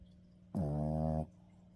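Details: Sleeping deeply, a Maltese lets out a single voiced snore under a second long, buzzy and tonal with rich overtones, over a constant low background hum.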